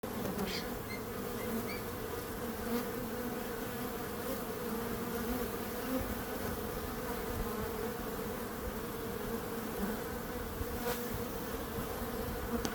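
Many bees hum together in a dense, steady drone that barely changes in pitch or volume.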